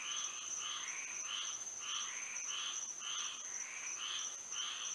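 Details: Night frog chorus in Florida under moonlight, with rhythmic bursts of raspy, trilling calls about twice a second, some voices alternating, laid over a continuous high-pitched insect whine.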